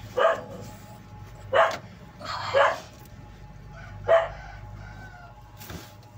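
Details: A newborn all-black Siamese kitten gives short, bright mews at uneven intervals over a faint steady hum.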